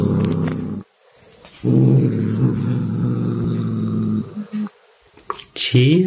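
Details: Chia the cat growling during play with a toy mouse, a rough low rumbling call broken by brief silences, ending with a short rising yowl and a few faint knocks in a small room.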